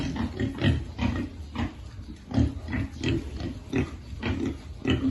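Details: Piglets being fed, giving deep, short grunts in a steady rhythm, roughly two each second, each a low throaty burst with a faint nasal edge.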